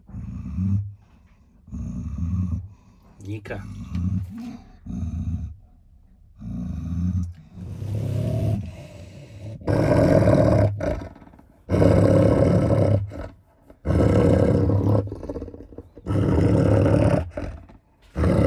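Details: German Shepherd Nika, six years old and in estrus, guarding bones from its owner beside Malinois Linda, first showing food aggression: deep rumbling growls in repeated bursts, turning into louder harsh snarls, with a person talking over them.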